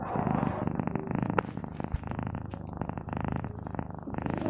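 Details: A domestic cat purring: a low, steady, buzzing rumble of rapid pulses that swells and fades in a regular rhythm with its breathing, with a brief click or tap partway through.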